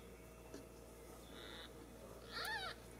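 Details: Ragdoll kittens raised indoors without cages at a cattery in central Kansas; one short, high, arched mew rises and falls near the end, preceded by a faint steady tone, over a low room hum.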